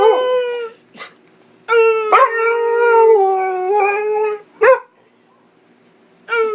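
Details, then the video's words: Pit Bull dog howling in a contest with its owner: long, smooth, wavering howls with rich harmonics, rising then sliding slightly down, broken by short sharp yelps and brief pauses. "Pittbull howling"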